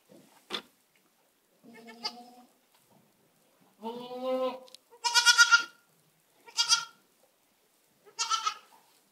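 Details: Two young goat kids with their mothers in a pen, bleating in a loose series of about six calls, some short and sharp, others longer, wavering and higher-pitched, separated by brief quiet gaps.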